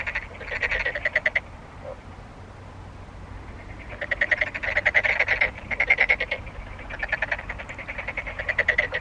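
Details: Frogs giving bursts of fast, rattling, pulsed croaks lasting a second or two each, separated by short quieter gaps, with more than one caller overlapping.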